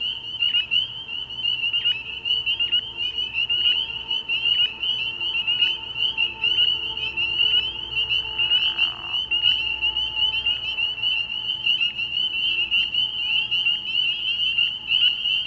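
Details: Frog pond at night early in the year: spring peepers in full chorus, a steady high ringing drone punctuated by a nearer caller repeating sharp peeps with short downward tails about every second, plus a brief low rasp midway.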